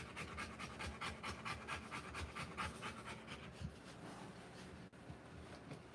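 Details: Rottweiler giving birth to puppies, panting in quick breathy bursts at an uneven pace for about three and a half seconds, then fading into a quieter stretch with faint breathing and a steady low room hum.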